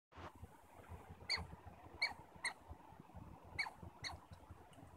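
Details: Squirrels communicating in Stanley Park, giving short squeaky chirps in scattered pairs and singles over a soft rumbling background.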